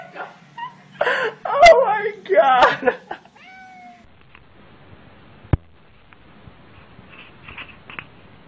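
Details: Domestic cat, in a light-hearted pet clip where it acts like a kangaroo, giving two or three loud, wavering, harmonic meowing cries over the first three seconds, then short rising squeaks, a sharp click and quiet room noise.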